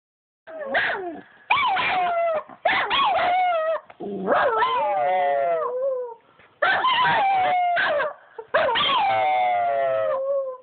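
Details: Two pet dogs, Bobby and Angel, howling together: long wavering tonal howls with rich harmonics, sliding up then drifting down, broken by short yelping bursts and brief pauses, overlapping voices.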